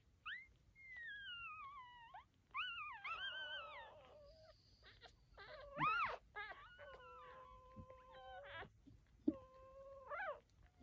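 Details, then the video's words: Litter of nine newborn puppies with their mother making whiny squeals, drawn-out falling and level wails and squeaky yelps overlapping from several pups. "Puppies are making funny noises."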